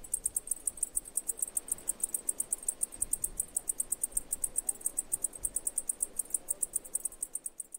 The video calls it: cicada noise sound effects